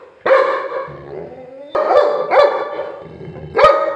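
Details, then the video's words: Labrador Retriever in an angry moment, giving loud, ringing barks spaced irregularly, roughly one to two seconds apart, with a low hum between them. "labrador dog angry moment"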